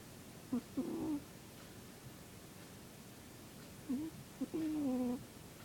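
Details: Sleeping cat named Zebbie snores in soft whistling pairs, a brief dipping squeak then a sustained steady tone with faint overtones, the pattern repeating after roughly three seconds of near silence.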